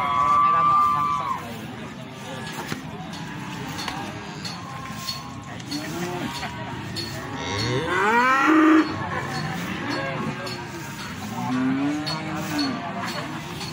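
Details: Feeder cattle at Magetan's Plaosan market moo repeatedly: a long low call at the start, a loud bellow around the middle and another moo near the end. Traders talk throughout.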